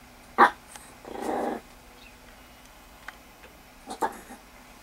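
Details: Foxy, a Miniature Pinscher, meeting Bella the rabbit: a sharp yip near the start, then a low rough growl lasting about half a second, with fainter short yips near the end.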